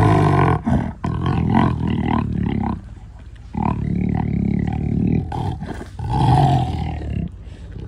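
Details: A black jaguar gives throaty, low rumbling roars in three main bursts, each a few seconds long with rough harmonics, separated by quieter gaps.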